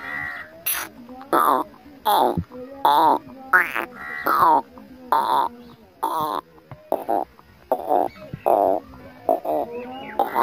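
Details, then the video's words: Domestic cat meowing over and over, about a dozen short, tonal meows in ten seconds, each rising and then falling, with brief quiet gaps between them. "Cute Cat meow"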